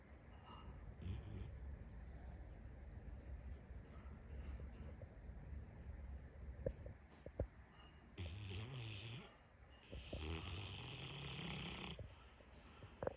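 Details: Cane Corso, an Italian mastiff, snoring: slow, low rumbling breaths run throughout, with louder, rougher hissing bursts around eight and again from ten to twelve seconds, and a few sharp clicks in between.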